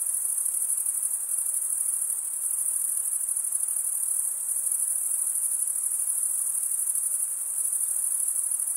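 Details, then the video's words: A thick, uniform chorus of crickets: high, fast-pulsing chirps merging into a continuous ringing trill, steady throughout with light background hiss. "Most relaxing cricket sound"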